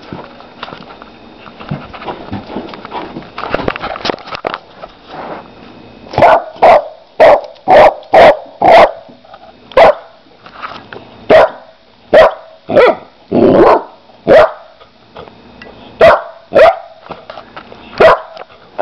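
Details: Playful female Labrador Retriever x Pit Bull mix puppy, four months old, barking in a long run of short, bright, sharp barks, roughly one every half second to second, after some scuffling and rustling at the start.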